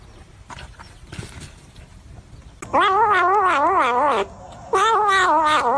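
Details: Domestic cat, possibly a kitten, giving two loud drawn-out yowls of about one and a half seconds each, warbling up and down in pitch, after a quiet stretch of low background rumble and faint knocks.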